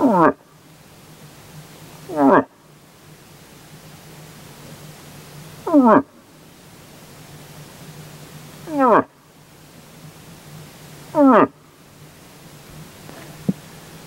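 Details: Rutting moose, a group with a big bull, answering a hunter's calling one evening: five long, quavering, downward-sweeping calls spaced two to three seconds apart, with a faint low hum and quiet surroundings between them.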